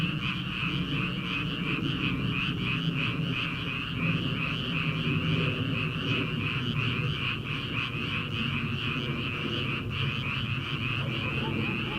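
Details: Paddy-field frogs in early summer, before transplanting begins, calling together in a thick continuous chorus; fast pulsing croaks blend into a constant buzzing drone that holds evenly for the whole stretch.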